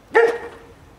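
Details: Great Pyrenees Lala, the 'seal dog', gives one sharp, clear bark with a brief tonal tail, against a quiet background.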